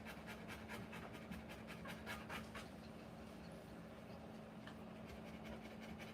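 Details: Panting from a Rottweiler during the live birth of her puppies, quick airy breaths, strongest in the first few seconds then softer, with a low steady hum underneath.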